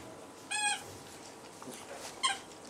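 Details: Puppies from the A litter at the Hondenpaleis, whose mother's milk is blocked: two short high squeaky cries with bright stacked harmonics, the first lasting about a quarter second, the second briefer, over a quiet background.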